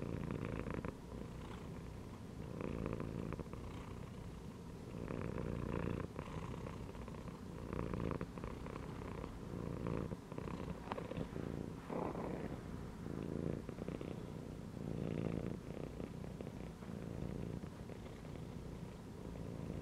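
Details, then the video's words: Cat resting inside a gym belt purrs for a long stretch, a deep vibrating drone that strengthens and eases in regular breathing cycles every couple of seconds. "CAT CHILLING PURRING AND MEOWING INSIDE THE GYM BELT"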